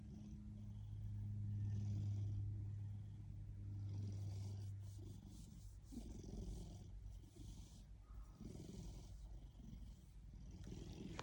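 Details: A happy Ragdoll cat purrs in a low, steady rumble with a rapid pulsing rhythm.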